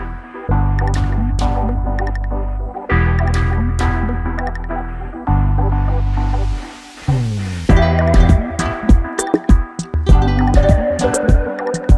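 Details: Electronic music with a throbbing low bass line and swooping synthesized effects fills the recording, with no barking or other animal sound.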